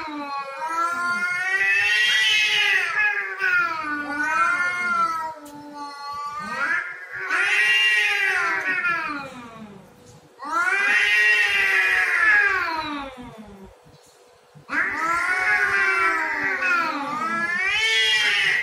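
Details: Domestic cats contesting territory: repeated long, warbling yowls that swoop up and down in pitch, interrupted by short pauses and one quieter lull, the wailing growing loud and strained.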